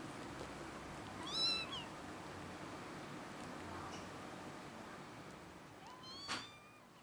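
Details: Kitten giving two short meows, the first rising then falling near 1.5 seconds, the second sliding upward near 6 seconds, against a steady low background hiss.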